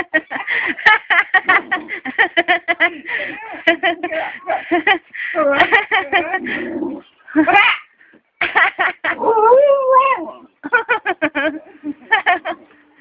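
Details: A pet Aspin, a Philippine native dog, 'talking' with long runs of short harmonic yelps, a rising whine, then a warbling, wavering moan. Human voices are close by.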